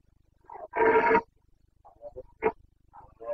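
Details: Boncănit, the rutting roar of a Carpathian red deer stag, recorded in Bucovina's mountains on 29 September 2022. One loud, half-second harmonic bellow is followed by softer grunting pulses and a sharp short call.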